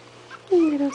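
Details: A 20-day-old puppy, one of a litter of five, squeaks indoors while waiting for its mother to feed them. The squeak is a short, descending whine that slides downward over about half a second, with a steady low hum behind it.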